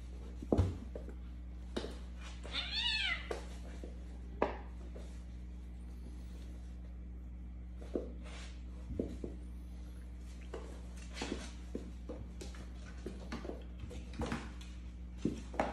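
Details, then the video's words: Kittens in a morning play fight indoors: one short, bright wavering meow rises and falls once, amid scattered thumps and scuffling knocks and a steady low electrical hum. "Kittens morning fight"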